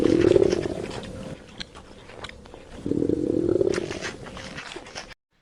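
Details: A giraffe gives low, hoarse, grunting calls in two rough bursts with a faint rising tonal edge, a call giraffes make under threat and during mating.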